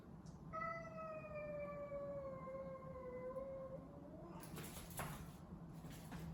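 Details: Domestic cat during a cat fight giving one long drawn-out harmonic yowl, slowly falling in pitch over about three seconds, followed by a burst of scuffling noise and low background hum.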